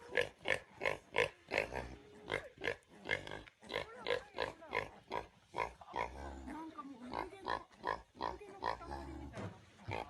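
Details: Domestic sow calling to her newborn litter of twenty piglets, which respond each time she calls: rhythmic, tonal grunts repeated about three times a second, with some softer squealing sounds in between.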